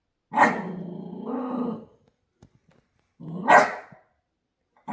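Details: A male Shiba Inu gives long, drawn-out barks with a rough, harmonic, almost talking edge, separated by a short pause. This is his typical 6 a.m. morning barking, though he never barked when first brought home.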